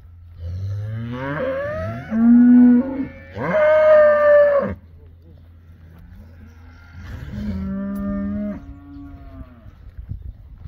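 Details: Beefmaster cattle, a herd of 24 first-calf cows with their 24 calves, giving three loud, rich moos, the second and third steady and nasal, separated by short pauses over a low background hum.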